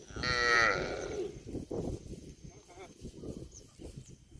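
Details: A single cow moo opens with a strong harmonic bellow of about a second, then fades into low rustling and handling noises with faint shorter sounds.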